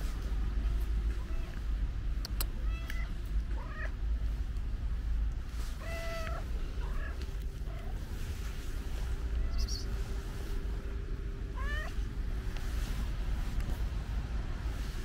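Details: Short, clear meows from an affectionate cat with a pink nose, spaced a few seconds apart with quieter chirpy mews between, while street traffic drones low in the background.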